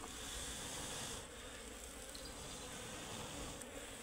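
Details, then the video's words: A swarm of Asian honey bees around their nest inside a tree during honey cutting; continuous, rough droning of many bees at an even level, with a slight drop in the high hiss after the first second. "গাছের ভিতর মৌমাছির চাক পড়ছে কাটে কিভাবে দেখেন এই মৌমাছির নাম হচ্ছে সেরেনা মৌমাছি"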